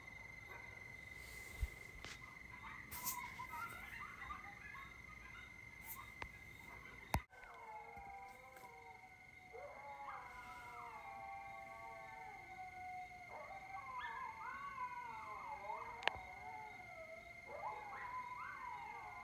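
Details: Coyotes at Lake Mendocino, taped late at night on an October 2022 evening from a porch: after scattered clicks and knocks, long layered howls rise and break into wavering, stepped yodels from several animals, with a steady high whine behind.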